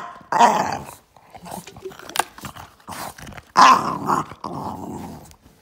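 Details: Boston Terrier dog reacting to a shaken water bottle: two harsh, rasping growl-grumbles about three seconds apart, with rough noisy tails, plus clicks and handling noise between them.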